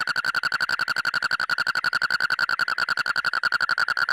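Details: A frog calling in a fast, steady train of short, bright clicking pulses, roughly fifteen per second, with a ringing mid-pitched tone and a fainter higher overtone, running unbroken throughout.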